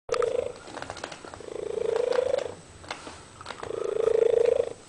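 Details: Singing cat giving three sustained, nasal, slightly rising meows, each about a second long, separated by short gaps with rattling, purr-like noise between them.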